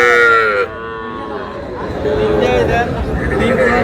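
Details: Sahiwal calf, among small bull and heifer calves bought by a Shariatpur farmer on 11 August, gives a loud, harmonic, slightly falling bawl for about half a second. Human chatter and voices continue through the rest.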